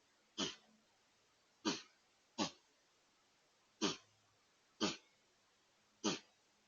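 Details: Sneezing white-tailed deer giving six abrupt, hissing blasts of air roughly one second apart, each short and forceful with a quick fade, over quiet background with a faint low drone.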